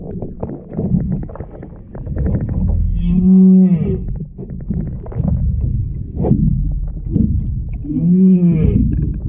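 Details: Humpback whales, a calf and its mother, heard underwater beneath a paddleboard at Wailea, Maui, on 3/2/26; the calf chirps high while the mother moos like a cow. Low moaning tones with arching harmonics, recurring around 3 and 8 seconds over rumbling water noise.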